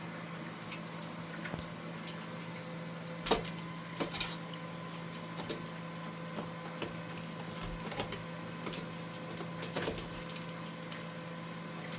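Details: No animal voice is heard: a steady electrical hum indoors, broken by soft knocks, thumps and scratchy bursts, like play on a cat tower.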